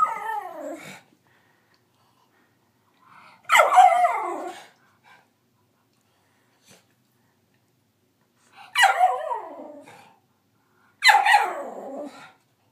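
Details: A nine-month-old female Miniature Schnauzer, finding her voice, gives a few wavering, yelping barks stretching into short, uneven howls as she attempts barking and howling.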